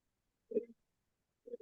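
Two deep, throaty grunts from an American bullfrog, each a brief resonant 'jug' about a second apart.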